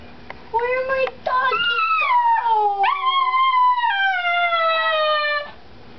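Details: Chihuahua howling with long, rich harmonic tones that waver and slide downward, starting with short yips and rising into drawn-out wails lasting several seconds.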